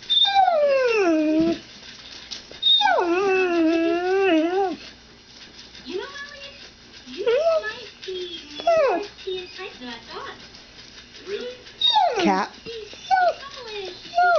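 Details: Two pet dogs, Annie and Maggie, indoors; Maggie was trained the same day to say "mom". Long, wavering, howl-like whines rise and fall in drawn-out phrases, separated by pauses, with a woman's voice coaxing in between.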